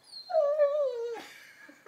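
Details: Young Labrador Retriever Lenny, 11 months old, playing with a new ball indoors, lets out a sustained, slowly falling whimper lasting nearly a second. It is followed by a soft scuffling noise.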